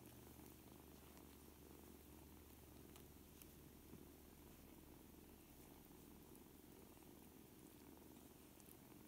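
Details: A litter of seven kittens aged four weeks, playing and learning to play with each other; an even, unbroken low-pitched purr hums steadily from start to finish, with faint scattered clicks above.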